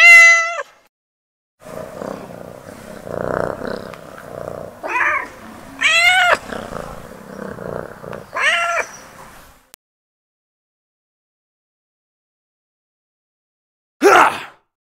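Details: Domestic kittens, one clear high meow at the start, then a stretch of low noisy rumbling with short rising-falling squeaky meows over it, a long silence, and a final brief loud meow.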